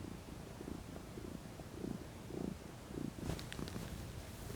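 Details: Relaxed female domestic cat purring as she lounges in the sun; low pulsing rumble in steady beats, with a short higher clicking or rustling noise near the end.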